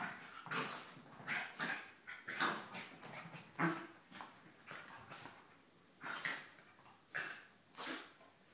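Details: Two Border Terriers wrestling together indoors; harsh, breathy grunts and growly bursts in irregular runs, about one every second, with scuffling between.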